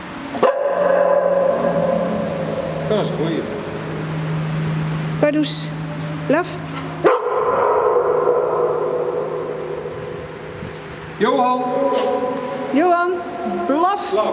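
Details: A dog near Twickel Castle, fresh from swimming, barks repeatedly into an echoing tunnel. About seven short, upward-sweeping barks in uneven bursts, each trailed by a humming reverberation, with people's voices in between.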